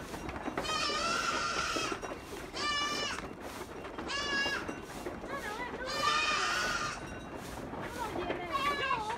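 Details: Farm goats bleating repeatedly, five quavering, nasal cries of one to two seconds each, some rising and falling in pitch, with a steady hum of background noise.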